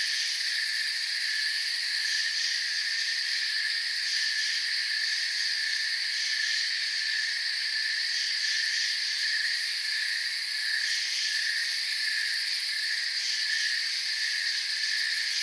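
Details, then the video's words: Crickets chirping in a forest, a dense, unbroken insect chorus with several steady high-pitched layers that hold constant throughout, with no pauses, other animals or voices. "Forest Sounds and Crickets"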